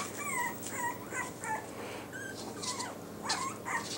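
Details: Yorkshire Terrier puppies with new Velcro collars let out a quick series of falling high whimpers, about four in the first two seconds, then scattered squeaks and rustles.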